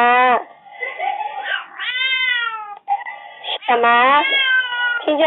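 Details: Domestic cat complaining after four days without its owner; long, wavering meows that rise and fall in pitch, overlapping with a woman speaking to the cat in Chinese, indoors.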